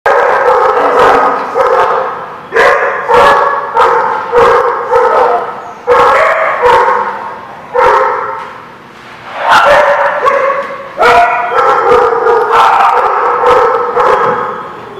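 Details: Dogs at a dog park, recorded April 24, 2017: a chorus of repeated sharp barks from several dogs, overlapping and irregular, with some longer yelping calls between bursts.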